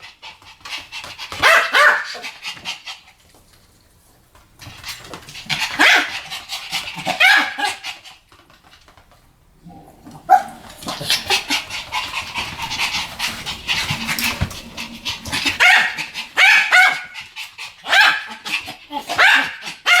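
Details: Duet of two Pomeranians yapping: long runs of rapid, high-pitched overlapping barks, separated by a couple of short quieter breaks, with a slightly noisy, roomy background.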